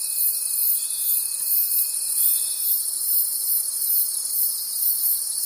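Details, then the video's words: Crickets in a forest at night keep up a steady, shrill pulsing chorus; a lower constant tone sounds for the first few seconds, then fades, leaving only the high trilling. "Forest Sounds and Cricket Conversations at Night"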